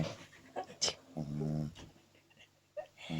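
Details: A two-month-old French Bulldog pup snores in its sleep. One rough, droning snore stands out amid softer breathy snuffles and rustling.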